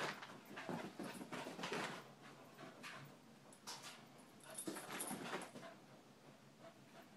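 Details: Indoors, a ten-month-old puppy pants hard and quickly, close to four breathy puffs a second, irregular in rhythm, with occasional louder gasping bursts.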